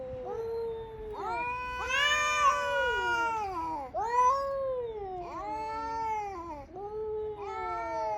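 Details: Male cats fighting over territory in the morning, community cats in Okinawa, Japan: long wailing yowls with rising and falling harmonic bends, one after another almost continuously, swelling and overlapping.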